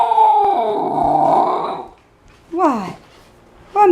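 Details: Eleven-week-old Siberian Husky puppy indoors, taught to speak, gives a drawn-out wavering howl for nearly two seconds, then a short falling yowl and a brief start of another, with a woman's voice prompting between them.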